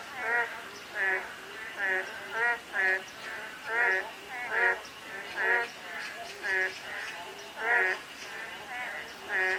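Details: Croaking frogs in a light drizzle, with rich, nasal, harmonic calls spaced under a second apart, some voices louder and nearer, against a faint steady rain background.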